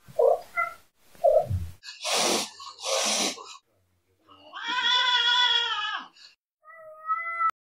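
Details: Cat making several short chirps, then two breathy hisses, then a long, loud, rising and falling meow. A brief high mew follows and a faint click ends the sequence, which sounds like it was recorded indoors.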